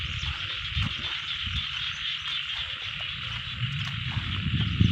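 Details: A frog chorus in a rice field, heard as a continuous high, even trill that never pauses, with low rumble and scattered thuds beneath and slightly louder bumps near the end.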